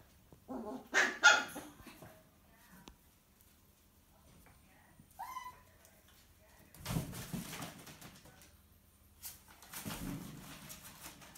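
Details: Miniature poodle puppy, six weeks old, disciplined by its mother in a small room; sharp yelping bark, a high squeak, then two rough, noisy bursts of scuffling barks.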